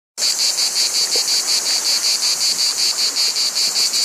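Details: Cicadas in a loud, steady high-pitched buzz that pulses evenly about three times a second, with no other sounds.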